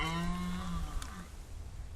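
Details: A red deer stag roars during the autumn rut, when males fight over females, in the early morning in the forest at Parc Sainte-Croix, Lorraine, France; the deep, drawn-out roar sags in pitch at the end.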